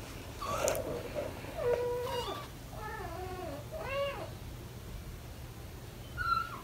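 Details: Four British Shorthair kittens almost five weeks old playing indoors with their parents nearby; several short high meows, some rising then falling, scattered through the stretch with light knocks and rustling.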